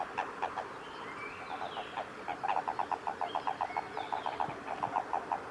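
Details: A Japanese common toad in amplexus (mating) at Kawaguchiko Field Center, Japan, on 22 April 2018 gives short, low croaking notes repeated in a quick, even series.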